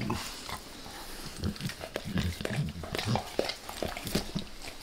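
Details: Max the dog licks his owner's face in a small indoor room, recorded closely for ASMR without talking; wet smacking laps mixed with low snuffly nasal breathing and sharp tongue clicks.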